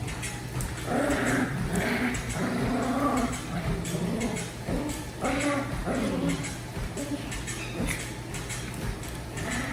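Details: Daisy, a pet dog, growling in play during a game of tug; rough, rumbling growls in bursts with short breaks, a continuous low hum underneath.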